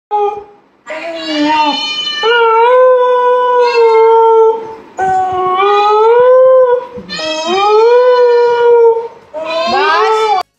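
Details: Siberian Husky. A Siberian Husky gives a run of drawn-out howls, each a sustained, rich tone that bends up and down before breaking off. The howling comes in reply to a cat's meows, with brief pauses between bouts.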